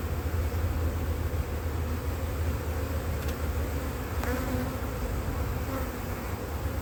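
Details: Drone-laying honey bee colony on a split whose first matings failed in cold 2024 weather: an even, continuous deep droning of many bees, with a few faint clicks and scrapes.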